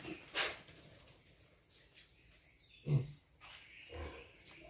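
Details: Pigs on a farm give a few short, low, rough grunts spaced about a second apart, with a sharp noisy burst near the start and quiet background between calls.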